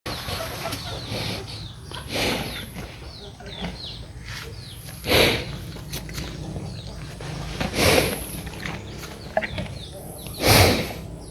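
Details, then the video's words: Big cow breathing: deep, breathy broadband huffs come roughly every two and a half to three seconds, while small birds chirp faintly in the background. "Amazing big cow breathing sound"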